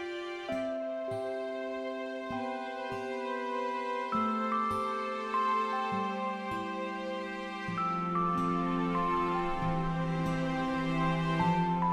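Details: Only soft instrumental music with slow, sustained, piano-like notes is heard; no animal sound is present.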